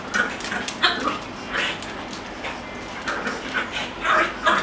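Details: Male French Bulldog on a trial day at a dog daycare: short high yelping whines come in scattered bursts, several close together near the end, over a busy background of clatter and faint room noise.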